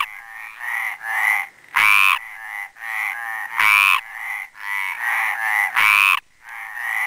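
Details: Chorus at the Planxista pond in Les Preses, Garrotxa, led by a male Mediterranean tree frog (Hyla meridionalis): three loud, rough croaks about two seconds apart over a near-continuous run of quieter grating calls.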